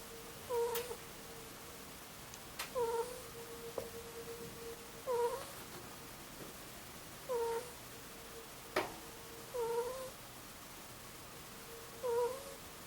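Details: A sleeping two-year-old Angora ferret gives a cooing snore: brief nasal squeaks that dip and rise, repeated about every two and a half seconds, with a steady electrical hum and a few soft clicks between breaths.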